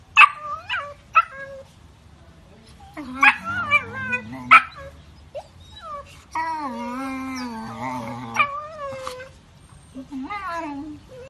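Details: German Shepherd puppies: a series of short high yips, then a drawn-out wavering whine-howl that bends up and down for several seconds, ending with a brief rising yelp; faint background noise throughout.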